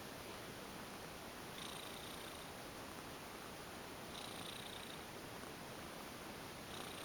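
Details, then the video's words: Female domestic cat, a former stray, lying limp while being massaged and purring steadily: a constant soft hiss-like rumble with faint brighter swells about every two and a half seconds as she breathes, in a quiet indoor room. "Lovely Cat goes limp for a massage & purrs lots !"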